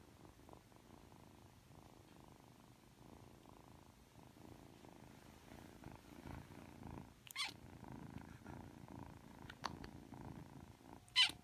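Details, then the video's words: Aki, a 3-month-old Ragdoll kitten, purrs indoors while being affectionate just after waking: a steady low rumbling purr in pulsing waves, broken by a few sharp clicks or taps near the end. "[Ragdoll cat] 잠에서 막 깨서 애교부리는 아키💕 寝起きで愛想をふるまうあき！(랙돌 생후 3개월)"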